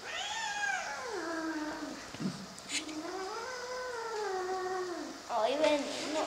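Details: A domestic cat, being taught to meow calmly, gives long, drawn-out, wavering meows that rise and fall. Several follow one another with short gaps. A person speaks Spanish quietly in the background.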